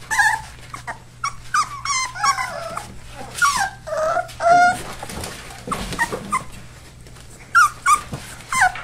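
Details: Four-week-old Labrador/Hound mix rescue puppies whimpering: a string of high, wavering whines sliding up and down, some short and yelping, with brief quiet gaps between bursts and a low steady hum underneath.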